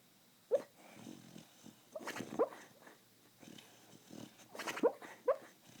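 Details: Beagle named Sky barking while dreaming in his sleep: soft, muffled yips and woofs come in short bursts, about four sharp peaks across the stretch, mixed with breathy snuffling sounds between them.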